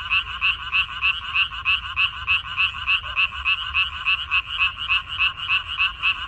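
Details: Frogs in a water parsley field on 14 May 2021 keep up a rhythmic chorus of short, buzzy, rattling croaks, about three per second and nearly even in loudness, against quiet low background noise.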